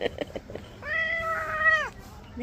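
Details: Cat being bathed, reportedly angry, gives one long steady meow that drops at the end, after a few clipped words of human speech, and begins another meow as the recording ends.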